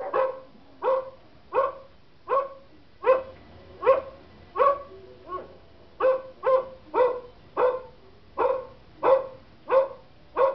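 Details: German Shepherd barking at recorded dog barks; a steady, rhythmic series of about fifteen strong barks, roughly 86 a minute, each short and harsh.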